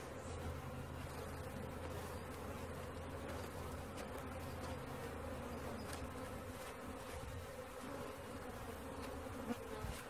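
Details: Swarming honey bees being collected, producing an unbroken mid-pitched buzzing hum layered over a low steady mechanical rumble, with a light click near the end.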